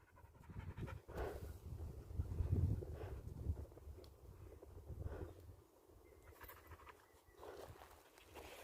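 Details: Mountain-dwelling dog worn out by unusually hot April weather during a walk, resting before going home; fast, rough, breathy panting of about three pants per second, rising and fading in waves, with a few soft rustles.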